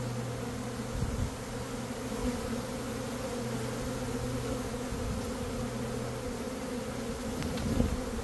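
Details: Honey bee swarm, one of two caught by a beekeeper in a single day in early May after a dearth: a dense, steady droning hum with even low tones throughout, faint ticks and knocks over it.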